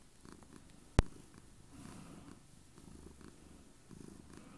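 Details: Pet cat purring hard on a bed beside its owner: steady low rumbling purr in regular pulses, interrupted by one sharp click or tap near the first second, then continuing evenly.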